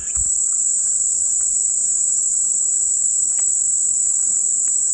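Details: Cicada song played as calming white noise: a steady, unbroken high-pitched shrill hum holding one even tone for the full five seconds, with only faint scattered ticks beneath it.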